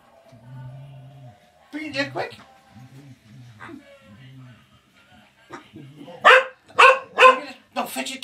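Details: Female Welsh Springer Spaniel indoors on Christmas morning 2018, excited on finding her new toy squeaks; a person talks calmly, then four loud, sharp barks burst out in quick succession near the end.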